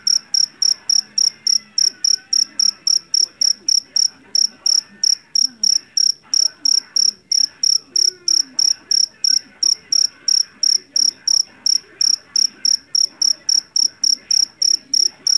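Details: Rice-field Javanese cricket sounding a continuous series of sharp, ringing pulsed chirps, about three per second, loud and regular, with muffled low background sounds and faint murmuring beneath.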